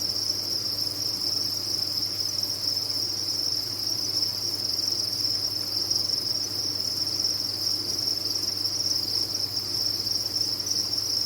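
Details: Massed crickets on a cricket farm produce a seamless high trill that holds steady for the whole stretch, backed by a soft low-frequency hum.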